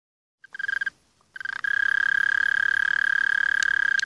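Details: Mole cricket singing a continuous, steady, buzzy trill at one high pitch, rapid pulses about three to four per second, starting with a short burst and a brief pause before settling into an unbroken trill.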